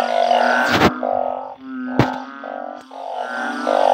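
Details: Banded bullfrogs raised in a backyard organic garden, calling together in a loud night chorus. Overlapping low, nasal, droning moans run almost without a break, with sharp clap-like cracks at intervals.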